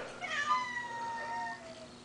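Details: Domestic cat giving one drawn-out meow that rises sharply, then slowly falls and fades over about two seconds, indoors with low background hum.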